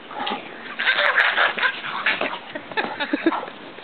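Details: Pug in a snowsuit, angry while playing outside with a Great Pyrenees: rough, broken bursts of growly yips and whimpers over about four seconds, with people talking nearby.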